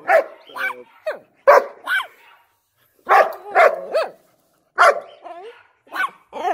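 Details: German Shepherd barking and howling in excitement while annoying its puppies; short yelping barks with rising-falling harmonic whines, in bursts separated by pauses, some whimpering squeals between.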